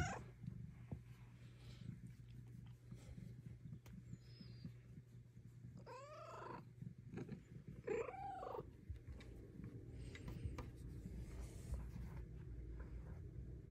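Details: Pet cat Luna purring during belly rubs, having learned that running to one spot brings petting; a low, steady rumbling purr runs throughout, broken midway by two short wavering meows about two seconds apart.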